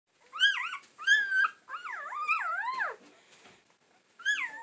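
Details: An AKC Standard Poodle, in a clip labelled 4-19-20, gives high, wavering whines that rise and fall in short bursts.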